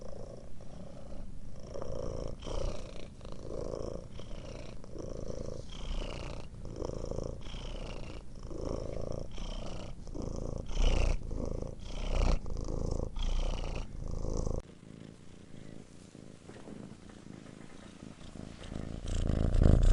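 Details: Domestic cat purring softly indoors, a low continuous rumble with faint rhythmic pulsing; the purr fades quieter after about fifteen seconds, then swells again near the end.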